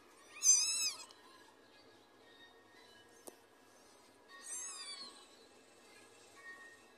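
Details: Newborn kittens on their first day after birth: two high, thin mews about four seconds apart. The first is short and arched, the second longer and falling. A single click sounds between them against an otherwise quiet background.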